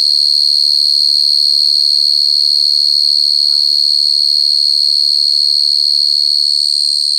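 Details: Loud continuous cricket trill, a bright high tone shimmering with rapid regular pulses; brief faint murmurs sit low beneath it in the first half, then only the insect remains.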